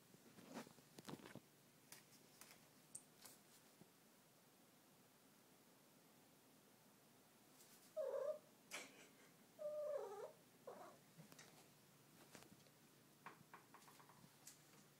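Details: Domestic cat indoors giving odd vocal noises: two short, bent chirping meows a couple of seconds apart, the second slightly longer and wavering, with soft clicks and faint rustling between them in a quiet room.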